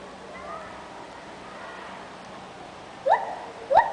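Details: Monkeys that seem to be "singing" give faint softer calls, then two short, loud, rising whoops near the end.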